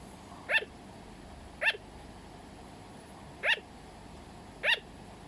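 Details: A sugar glider's barking call, four short sharp yips spaced roughly a second or more apart, each with bright ringing overtones, over a low steady background hiss.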